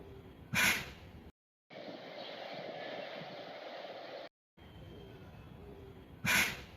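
A Bengal tiger gives two sharp, explosive sneezes, one near each end, with steady background noise between.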